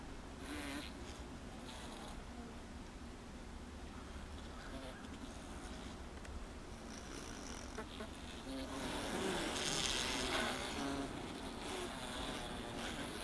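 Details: Honey bees crowded inside a honey super, a low continuous hum with fluctuating wingbeat buzz, a few louder bursts of buzzing and crackling contact noises growing stronger in the later seconds.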